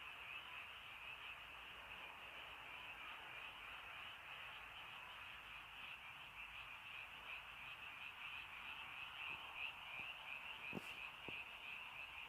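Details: Frogs calling in the rainy countryside in early night: a dense, continuous chorus of rapid trilled croaks blending into a steady shimmering drone, with a few sharp clicks near the end.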